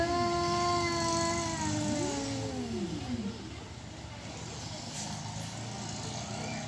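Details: Domestic cats yowling, either asking to mate or about to fight: long drawn-out wailing cries, steady then sliding down in pitch, with two voices overlapping, over a constant low rumble of background noise.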